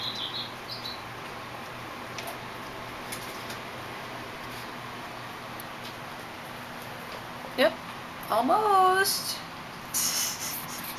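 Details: Shaded golden Persian kitten of about six weeks, indoors, being groomed by adult cat Gypsy Rose on 22 April 2009; a short burst of curved, harmonic-rich mews comes near the end, preceded by a faint high squeak, with a woman talking softly.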